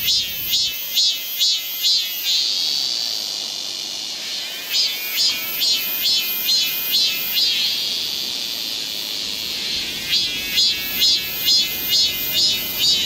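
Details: Cicadas of Galsan Park, Seoul, in a summer forest chorus: rhythmic bursts of rapid throbbing pulses lasting about two seconds, separated by smoother high drones, repeating roughly every four seconds over a constant shrill background.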